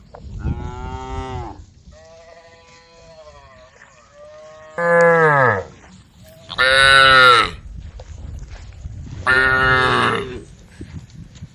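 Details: A group of tame cows on the road calling the herd: a faint moo, then three loud, long, harmonic-rich moos about two seconds apart, each lasting roughly a second, with a softer tonal murmur between.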